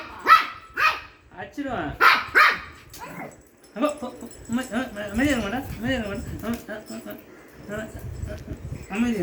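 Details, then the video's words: A Shih Tzu, barking while playing, gives a few sharp, short barks in the first three seconds, then a man's voice talking in Tamil dominates the rest. "Shih Tzu barking sound and playing"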